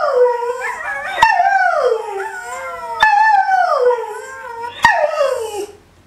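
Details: Rescue greyhound Benny rooing in sympathy with online dogs, three drawn-out howls each starting high and sliding down in pitch, separated by brief sharp clicks.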